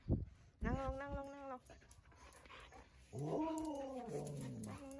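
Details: Siberian Huskies of Candy's household (Candy, Cookie, Bearry, Happy) walking around home in cold-season wind, Ubon Ratchathani, Thailand; a drawn-out harmonic whine, then a longer wavering howl-like moan after a pause, with a thump at the start.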